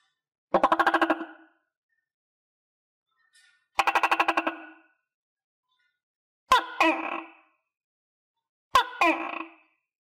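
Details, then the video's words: Captive tokay gecko, eating crickets alongside other tokays, gives two quick buzzy rattles of rapid even pulses, then two abrupt two-part barks, each a click and a falling harmonic note, with quiet gaps between. "Sound Of Tokay Gecko"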